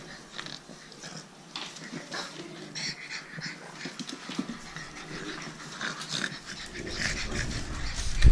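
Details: French Bulldog puppies playing with their mother; wheezy snorts, breathy grunts and low play growls run throughout, growing louder toward the end.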